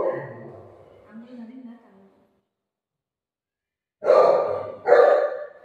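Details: Golden Retriever family dog playing with its owner gives two short, loud, rough barks about a second apart near the end. They follow soft murmured vocal sounds and a silent pause.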